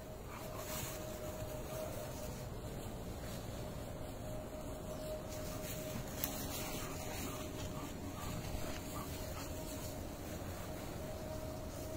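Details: Faint outdoor rumble and hiss with a distant engine-like drone continue throughout, and no bark or other animal voice stands out.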